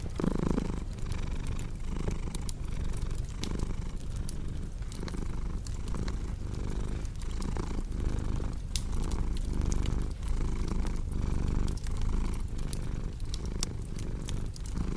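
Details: Cat's continuous deep purr with a regular rhythm of inhale and exhale pulses, backed by bright intermittent crackles from a cozy log fire.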